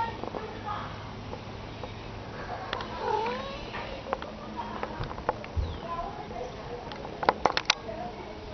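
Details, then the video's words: Cat meowing with a wavering, drawn-out call midway through, set against faint human voices, low hum, soft clicks and a few sharp knocks near the end. "The Cats Meow"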